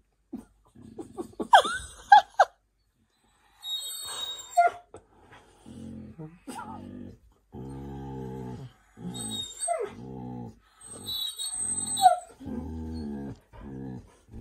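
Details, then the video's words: Siberian Huskies, including one named Zeus, arguing indoors on a cosy night in: low buzzy grumbling growls in repeated bursts, interspersed with short high whimpers and yips, and a few brief exclamations. "Huskies being dramatic and weird | Funny husky argument"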